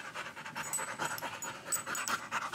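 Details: Rapid, rhythmic open-mouthed panting from Dasha, a female Rottweiler nearly eight months old, just in from the heat outdoors; steady, hissing breaths follow one another with hardly a pause.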